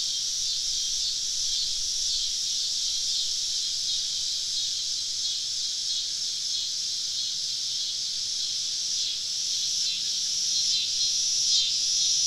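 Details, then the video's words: Southern woods on a summer evening, cicadas surrounding a camping spot: a constant high sizzling drone from many insects, with brief louder buzzy swells near the end as closer callers join in. "Southern Evening Summer Cicada Symphony"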